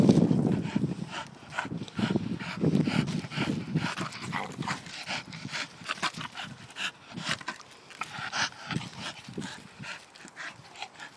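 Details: Pet Staffordshire bull terrier being a pain, opening with a loud low groaning grumble, then quieter snorting and snuffling bursts that continue irregularly.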